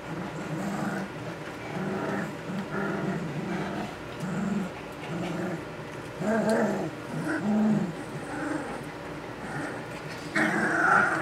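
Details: Puppies aged 2 weeks and 6 days, just learning to use their voices, give low, grumbling growls and whimpers in short bursts, repeated irregularly about every three seconds, with a brief higher squeal near the end.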